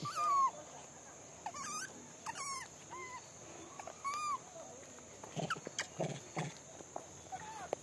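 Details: Several monkeys vocalising during feeding: a loud arched call opens, followed by fainter rising and falling tonal calls from more than one animal, with a few clicks and knocks and a steady high hum behind.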